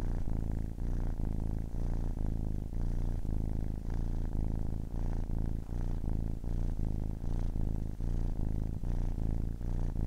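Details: Loud, close purr from a 10-week-old kitten: deep buzzing rumble pulsing with each in and out breath about twice per second, steady throughout.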